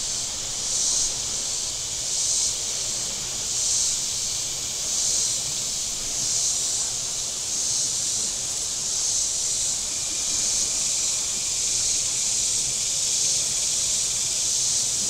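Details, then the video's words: Cicadas on the shore of Table Rock Lake in southern Missouri on a very warm Saturday: a dense, high, hissing buzz that swells and fades in steady pulses about every one and a half seconds. "Boating Lake Sounds and Cicadas"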